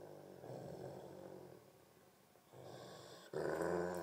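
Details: Two dogs, a Great Pyrenees named Thumper and a Tibetan Mastiff named Baby Huey, growl during a tug of war indoors; deep rumbling growls in bursts with a short pause, then a louder, harsher growl at the end.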